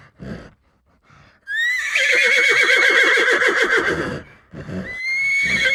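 After a few soft low thumps, a horse lets out a loud, high whinny lasting nearly three seconds, shaking in quick pulses as it fades. A second, steadier whinny begins shortly afterward.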